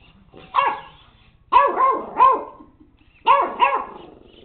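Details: Puppy JJ yapping at the household robot dog: about six sharp, bright barks in quick pairs and a triplet, separated by brief silences.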